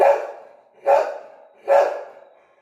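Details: Pet Labrador Retriever barking at home, three loud sharp barks spaced under a second apart, each fading quickly; no other clear sounds.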